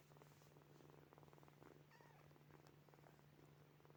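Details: Purring from sleeping kittens, steady rhythmic pulses in breath-length bursts, with one brief faint squeaky vocal sound midway and a constant low hum behind.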